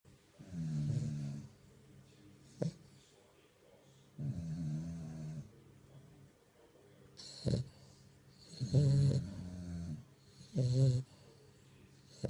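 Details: French bulldog puppy asleep, snoring: low, rumbling, buzzy snores in bursts of about a second, coming every two to three seconds, with short sharp snorts between them and quiet breaths in the gaps.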